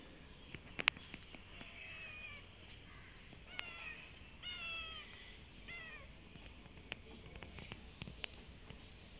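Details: Several hungry cats outdoors in the afternoon waiting to be fed give a series of short, bending meows every second or so, with thin high bird chirps and light clicks behind.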